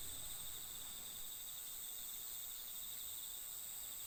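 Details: Autumn insects at night in an October forest at TAKIBIYA camp field, Japan, keep up a continuous shrill trilling in two high bands, steady throughout, over faint low background noise.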